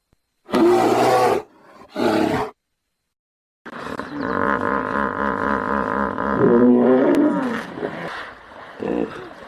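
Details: Two short, harsh roaring bursts from a hippopotamus, a pause, then a sustained run of throbbing, evenly pulsed grunts that build into a louder, rasping climax and fade into scattered lower grunts.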